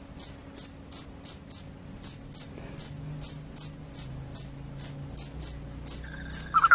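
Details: Cricket calling loudly; a clear series of high, sharp, bright chirps, roughly two to three each second at slightly uneven spacing, with a brief lower trill entering at the very end.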